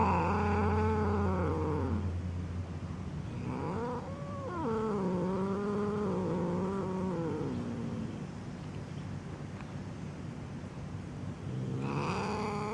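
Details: Angry domestic cat yowling in long, wavering, drawn-out wails that bend up and down in pitch, in three separate bouts with a short pause between, over a steady low background hum.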